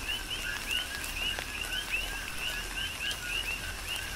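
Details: Coqui frog calls recorded in rain on Hawaii's Big Island: clear two-note 'co-qui' phrases, low tone then rising whistle, sounding roughly every third of a second, with occasional raindrop taps in the background.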